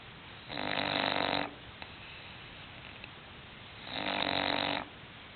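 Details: A sleeping English bulldog gives two long, rough, rasping snores, each lasting about a second, roughly three seconds apart, with near silence in between.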